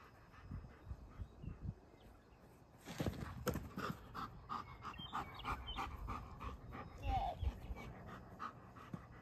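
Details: Two-year-old German Shepherd Rip, a trained protection dog, plays fetch in Boise with a toddler; quiet rustling gives way after a few seconds to quick, uneven breathy panting, with faint voices in the background.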